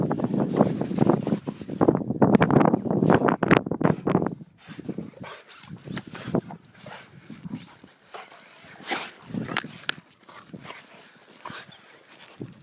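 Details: Rottweiler playing outdoors in the snow, giving a burst of rough, rapid barks and huffs over the first four seconds, then quieter panting, snuffling and movement sounds.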